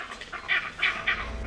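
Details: Vervet monkey leopard alarm call, which sends the monkeys dashing to the thinnest canopy branches: three loud, harsh, barking calls about a third of a second apart, over a faint background hiss.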